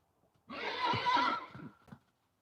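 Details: A stabled horse gives a loud, shrill whinny while hooves are trimmed nearby. The neigh holds strongly for about a second, breaks into juddering pulses as it fades, then a soft snort follows.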